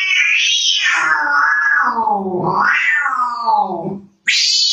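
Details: Baby domestic cat from a funny cat compilation giving a long, drawn-out wavering yowl that slides downward for about two seconds, swings up again and sinks, then a fresh high cry starts right after a brief break.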